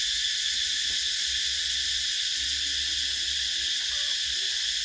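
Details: Cicadas chirping in summer, 2024, produce an intense, steady high whine with a slightly grainy pulse, over a soft low rumble and a few faint quiet tones.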